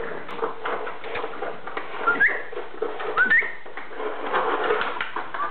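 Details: Three French Bulldog puppy siblings scuffle over a bottle indoors, giving two short rising squeaky whistles near the middle above a constant rumble of scrabbling and low hum.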